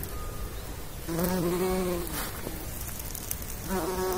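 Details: Pollinating bumblebee passing, a deep humming buzz for about one second, fading away, then returning briefly near the end against a faint background hiss.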